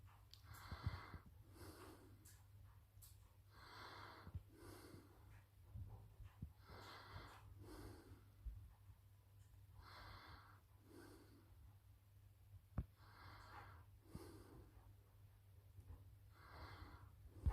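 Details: A sleeping cat snoring softly indoors: rasping, breathy snores in a steady rhythm, each lasting about half a second and repeating every one and a half to two seconds, over a faint low background hum.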